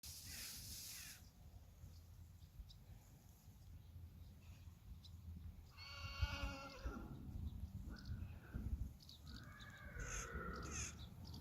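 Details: Friesian horses of a herd being checked: a harmonic whinny near six seconds slides downward and fades, followed by a shorter high call near ten seconds, over a steady low rumble and a brief noise burst at the start.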